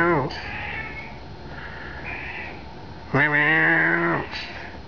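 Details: Angry British Blue cat scolding its owner with two meows. A short falling one opens, then a longer, louder, steady-pitched meow comes about three seconds later. Soft room murmur fills the gap between them.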